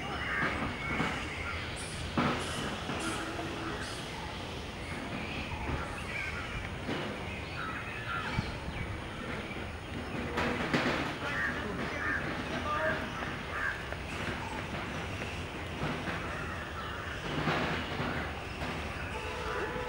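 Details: Flying foxes in the botanical garden of Peradeniya near Kandy, Sri Lanka, giving harsh, broadband squawks and scratchy chatter in irregular bursts, several voices overlapping over steady background noise.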